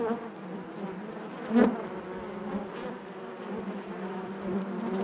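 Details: Constant hum of a honey bee colony in its hive, one sharp close buzz flaring at one and a half seconds above the even background drone.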